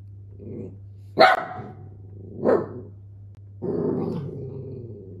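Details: Miniature dachshund barking: a sharp loud bark, a second shorter bark about a second later, then a longer, rougher growling bark, all over a steady low electrical hum.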